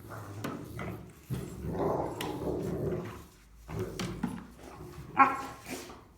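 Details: German Rottweiler pups, three siblings playing hard, give short grumbling growls broken by a few sharp yaps and a sudden louder bark near the end, with gaps of quiet between outbursts.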